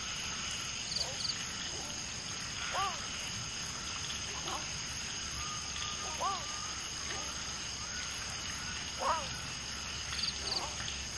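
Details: Common tree frogs during mating, with one female laying eggs and two males fertilizing them; short arched calls recur at irregular intervals of a few seconds among many frogs in the background, over a steady high insect drone.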